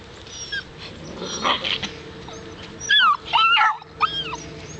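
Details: Seven-week-old Alaskan Malamute puppies from a Daphne and Deuce litter: thin, high whines and yelping whimpers that bend up and down, loudest in a cluster of quick cries near the end, with softer whimpers earlier over low background noise.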